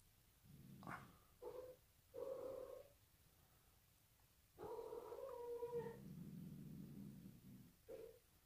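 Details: Frightened by the new bride, Sid the Bengal cat lets out short moaning meows, then a drawn-out tonal yowl that sinks into a low continuous growl before a final brief cry, inside a room.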